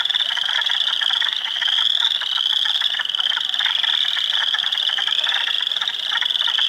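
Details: Hundreds of frogs in a spring swamp in Ontario on April 2, 2022, spring peepers, wood frogs and eastern chorus frogs among them, producing a shrill, seamless peeping chorus over rapid, raspy trilling and chuckling notes.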